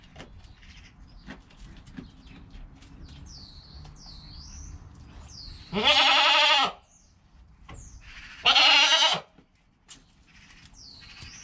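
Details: Goat kid born under an hour earlier gives two strong quavering bleats roughly two seconds apart, while chirping birds call in the background amid soft rustling.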